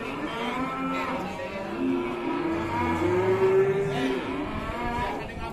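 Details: A fierce cow tumbling over, bellowing in long, drawn-out harmonic moos that rise slightly and hold steady, several overlapping in a continuous stretch, with a faint murmur of people in the background.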